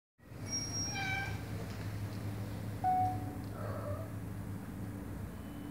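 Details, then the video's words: Mother cat meowing to have a door opened because her kittens are behind it; one clear tonal, harmonic-rich meow near the start, then a shorter steady tone, over a constant low hum. "Mom cat meows for me to open the door, because her kittens are behind the door"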